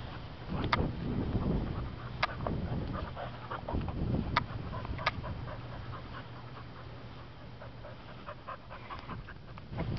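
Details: Welsh Springer Spaniel female, found as a stray and offered for adoption, 18 August 2012: steady fast panting under sharp clicking knocks, louder in the first half, with a man talking nearby.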